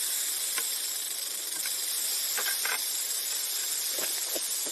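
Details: Rattlesnake sounding its rattle in an unbroken, sizzling high-pitched whir that stays level from start to finish, with a few soft ticks underneath.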